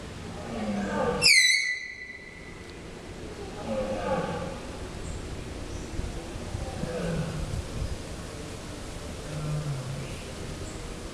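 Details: Tapir at the zoo in Antwerp, Belgium, October 2011, late on a cloudy day: one sharp, high whistled squeak, briefly dropping in pitch with bright overtones, followed by soft low murmuring background sounds.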